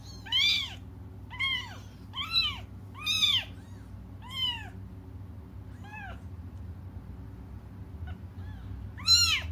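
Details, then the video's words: Cats crying while waiting for their mother: a run of high, arched, rising-then-falling meows, each under a second, coming roughly every second at first, then a pause before two more cries, over a low steady hum. "until their mom comes just stop crying"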